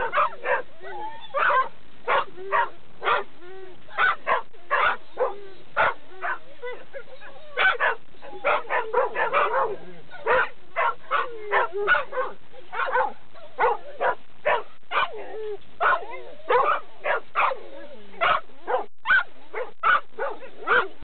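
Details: A Labrador Retriever, noisy when approaching the dog run, barks on and on in quick, even bursts, several each second, with hardly a pause throughout.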